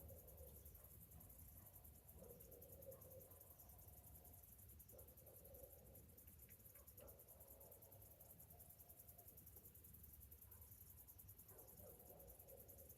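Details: Summer morning cicadas: a steady, high, pulsing shrill chorus drones on throughout, while lower cooing notes come in short bursts at intervals over a deep background rumble.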